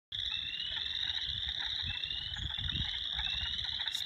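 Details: A dense chorus of spring peepers in Minnesota, high rising peeps overlapping into a constant shrill ringing.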